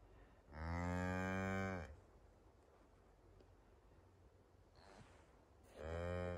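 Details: Highland cattle, mother cow and one-day-old calf walking in forest on a Finnish farm, 29 October 2022, captured with an iPhone 11: two loud, rich moos separated by about four seconds of quiet, with light rustling between.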